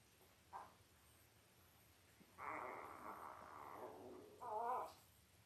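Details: Newborn Labrador Retriever puppies, five days old, from Belle's litter of five males and three females on a live puppy cam: a brief yelp, then a drawn-out nasal whine lasting about two seconds, ending in a sharper rising squeal.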